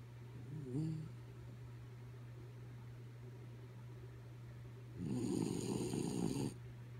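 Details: A sleeping pet dog named Kaya Boo snoring: a low rumbling breath swells into a louder raspy snore around the fifth second, lasting about a second and a half, over a steady low hum.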